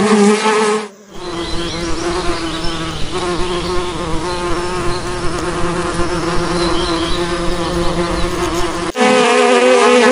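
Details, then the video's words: Dense bee buzzing, a constant low hum with faint pulsing, broken by a brief silent gap near the start and a cut near the end to a louder, nearer buzz. "Bee noise and its Various Types of Species - noise bees sounds"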